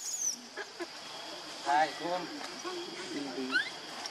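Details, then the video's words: Baby monkey Lucie begging its mother for milk she refuses; soft wavering whimpers and brief squeaky rising notes over a hissing background. "Lucie Very Need Milk But Mom Not Permit I Adorable Lovely Baby Monkey"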